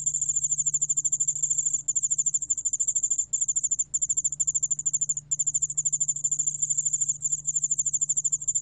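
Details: Near-continuous shrill pulsing of a yeoul-allak-bangulbeolle cricket, from Korea's National Institute of Biological Resources in 2020. The rapid high trill has a few brief breaks, and a faint low hum persists throughout.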